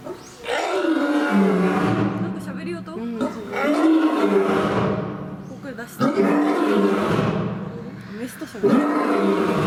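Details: Male lion kept at Fukuoka City Zoo, Japan, as of September 2021, giving long, deep, loud roars that sink in pitch. They come in bouts of a few seconds with short pauses, and voices are heard in between.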